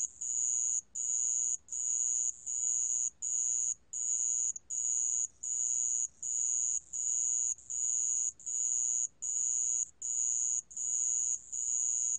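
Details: Sand ground cricket, National Institute of Biological Resources recording from 2020, producing a piercing high trill chopped into even bursts of roughly half a second, about 80 per minute, with quiet low background noise and no other callers.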